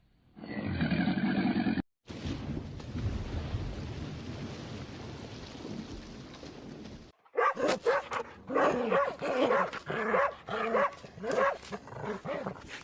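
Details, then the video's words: Dog barking in the final seconds, a run of short, rough, harsh barks in quick irregular succession, after a stretch of an unrelated animal call and broad noise. "PETS SOUNDS/ANIMALS SOUNDS:COW HORSE CAT DOG PARROT BUFFALO CHEETAH"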